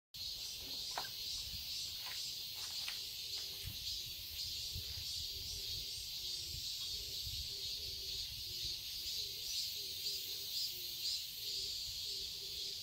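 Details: Cicadas in a garden in Seoul, Korea, in summer: a dense, high, shimmering buzz that never stops, swelling softly about twice a second. Faint short lower calls and a few clicks sit underneath.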